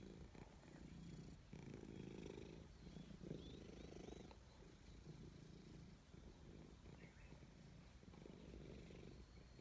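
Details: Petted by hand, a gray stray cat purrs at high volume, content: a deep, pulsing rumble that swells and eases about once a second, with a few thin, high bird chirps briefly in the background.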